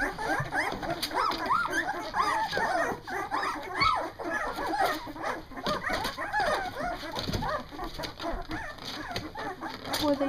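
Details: Litter of two-week-old Doberman puppies, Bella and Mopar's first, eyes newly open and moving about, finding their barks; a dense chorus of high, arched whines and squeaky yips overlaps continuously, with a woman's voice faintly in the background.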